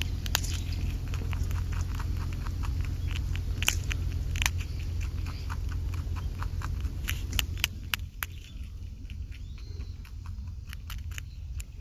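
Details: Okunoshima rabbit, on Japan's Rabbit Island, munching food with a steady stream of sharp crunchy bites, several per second, some louder snaps standing out, against a low outdoor hum.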